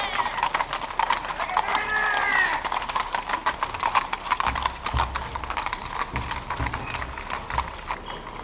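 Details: Horses, thoroughbreds ridden by cavalry in samurai armour at the Soma Nomaoi festival: a rapid, irregular clatter of hooves throughout, mixed with loud voices of people and crowd noise.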